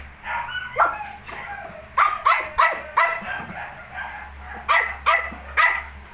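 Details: Nineteen-day-old Shih Tzu puppies yap in a string of sharp, high little barks, roughly two or three a second in bursts, over a faint background hum.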